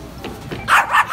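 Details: Dogs barking loudly at shoppers, two sharp harsh barks in quick succession after a quieter lead-in, with faint mechanical background noise.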